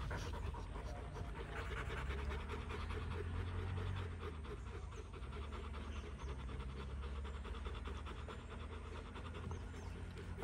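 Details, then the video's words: Rottweiler family panting after fighting, a steady rapid breathy rhythm of about three pants per second with low rumbling background noise throughout. "Rottweiler Family after fighting"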